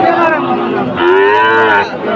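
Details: A short, loud bellow from Sahiwal bulls at a Bangladeshi cattle market in Dhaka, 16 September 2024: one moo swells upward and holds for about a second before cutting off, with faint voices behind.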